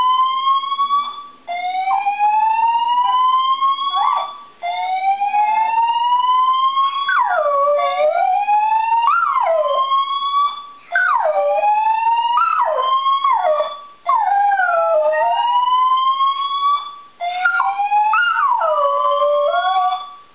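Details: Charlie the dachshund sings along to a building's monthly fire alarm test. At first only the siren's rising sweeps sound, every three seconds. Then sliding, dipping howls join in and weave through the alarm's tones.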